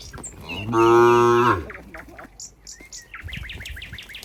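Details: One cow in a herd at a countryside barn gives a single loud, steady, low moo lasting under a second, followed by a run of quick high bird chirps.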